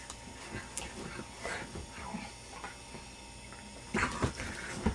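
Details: Indy, a pet puppy playing at home and worked up by having his face blown on, gives soft snuffles and whimpers, then a sudden cluster of harsh, rough growly yelps near the end; faint household noise underneath.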